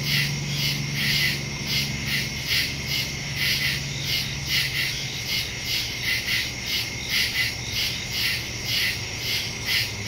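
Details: Nighttime woodland crickets, captured September 2, 2023 using a phone and Shure MV88+ stereo mic; rhythmic high-pitched chirps pulse steadily in a continuous chorus, with faint low droning beneath.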